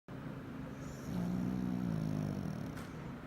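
A Pekingese snores with a low, droning rumble drawn out for over a second.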